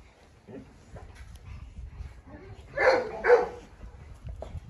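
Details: Dogs at a kennel, a Presa Canario female called Huniu confronting a Rottweiler while a Staffordshire joins in: two loud broad barks in quick succession after soft background noise and murmuring.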